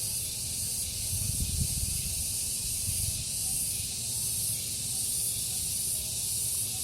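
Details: Cicadas calling in a garden in the morning: a dense, hissing high-pitched buzz that swells and fades in soft pulses, over a steady low rumble.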